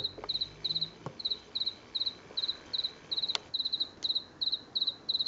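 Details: At night in late September 2022, an unseen house cricket sings in a garden. Each high, shrill chirp is made of three or four quick pulses, repeated about twice a second, with a few faint clicks in the background.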